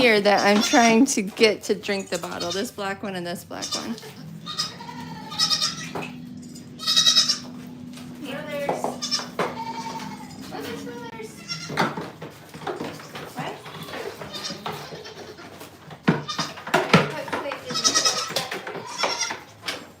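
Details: Farm goats bleating loudly with quavering, shaky cries in the opening seconds, followed by a long steady hum and scattered bleats, with people talking throughout.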